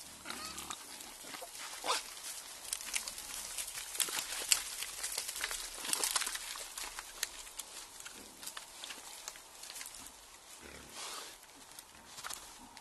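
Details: At night, a group of wild boar forages, drinks and wallows in mud, giving short, harsh squeals and snorting grunts in irregular bursts amid continual wet splashing and squelching.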